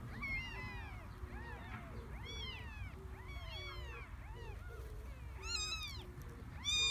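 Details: Stray cat's three kittens in a garden produce a dense run of short arched mews, several callers overlapping, plus faint low chirps beneath, ending with a sharp louder cry.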